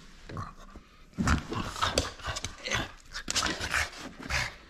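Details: Indoors, a playful French Bulldog holds on to its toy, giving short low grunts and throaty snorts in quick irregular bursts, mixed with rustling and a person talking.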